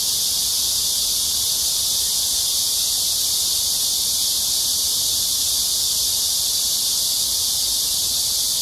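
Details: Cicadas in full summer chorus at Amsa Ecological Park on the Han Riverside, Seoul, South Korea, early evening of 26 July 2021 during a heat wave: a dense, unbroken high hiss-like buzz, steady throughout, nothing else prominent.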